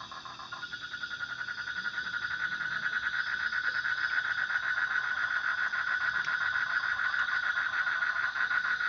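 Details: Frog producing a fast pulsed buzzing trill at one steady pitch, softer and set against a noisy, hissy background that gradually grows louder.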